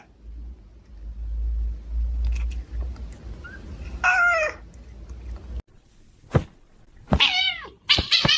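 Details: Cat meowing in a funny short: after a stretch of low rumbling noise, a drawn-out wavering meow, then two more strained, bending meows near the end, with brief clicks between.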